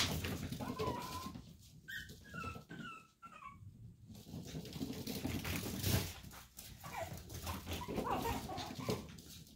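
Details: Chihuahua puppies from Daisy's litter, indoors, the younger pair left behind after two littermates climbed out: thin rising and falling whines in short bursts near the middle, then fainter squeaks, over steady low rustling and room noise.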